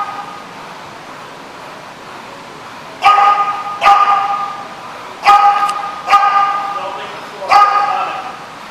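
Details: Dog at The Barking Lot, recorded 22 June 2015, giving five sharp, harmonic barks in uneven bursts over about five seconds, some paired closely, after a quiet stretch with faint background murmur.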